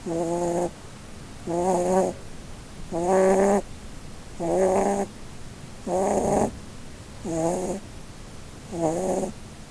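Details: Holland Lop rabbit Blueberry, a doe, asleep beneath the Christmas tree and dreaming. A steady run of seven rasping, tonal snoring breaths comes roughly every one and a half seconds, some slightly louder and longer than others.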